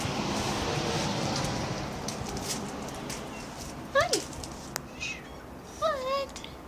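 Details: Lily, a house cat wanting release outdoors, gives two bent, slightly falling meows near the end, the second drawn out, after a stretch of steady low hiss and a sharp tap.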